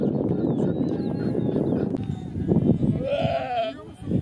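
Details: Angora goat at a birth, raw documentary footage: one short wavering bleat of under a second near the end, rising then falling, heard over dense low rumbling and shuffling noise.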